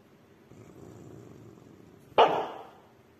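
A Maltese gives one sharp, high-pitched bark after a stretch of low background rumble.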